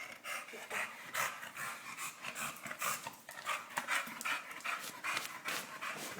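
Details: Three-year-old English Bulldog panting hard after a wrestling bout with a boy. Quick, breathy, uneven huffs run at about two or three per second, with a person's voice faintly in the background.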